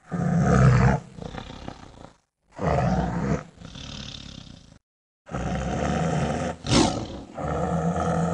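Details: Tiger with cubs: three bursts of deep, throaty roaring and growling separated by short silences. One rasping burst swells near the end.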